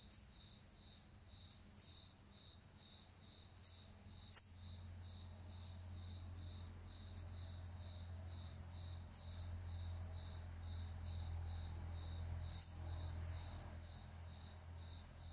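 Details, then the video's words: Two Bucrates katydids produce short, loud chirps, sharp high clicks repeating roughly every two seconds, over a constant shrill whine of other orthoptera and a low humming rumble that swells midway. "Bucrates chirping sound"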